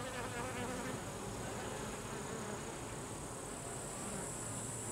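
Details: Carniolan honey bee workers driving drones out of the hive: a thick, even droning of many wings, low humming tones weaving together under constant hiss.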